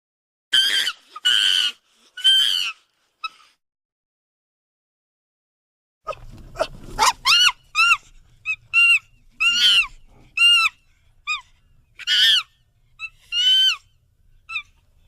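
A monkey gives shrill, harmonic screeches and squeals in quick bursts, with falling whistle-like cries.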